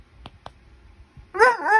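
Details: Male Basset Hound protesting having his ears cleaned: two soft clicks, then a sudden loud, harmonic, wavering whine-like bark lasting about half a second, dipping and rising again in pitch.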